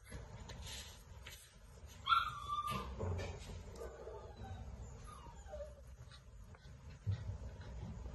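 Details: Six-week-old Great Dane puppies give brief high whimpers and yips over a low background rumble.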